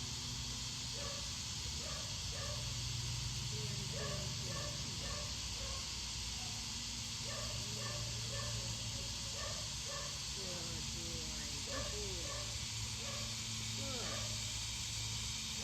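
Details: Several dogs barking in a yard during a leash training session; faint, distant, short barks come in quick bursts of two to four, repeating throughout over a steady hiss.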